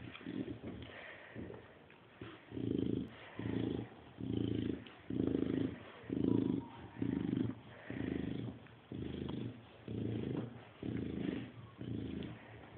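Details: Chow Chow dog grunting like a pig: a steady run of low, throaty grunts, each lasting about half a second, repeated roughly once a second with brief quiet gaps.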